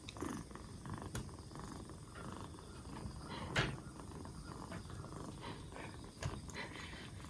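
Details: Rescued black Bombay kitten aged two months, fourth day in care and regaining health, purring low and steadily while brief clicks and a louder bump at mid-clip break in.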